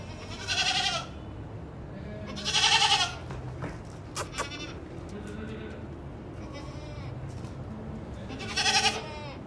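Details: Black Teddy goats (Teddy Bakra), four teeth old: three loud, wavering, nasal bleats, separated by a couple of seconds and then a longer pause, with a low background hum and faint clicks between them.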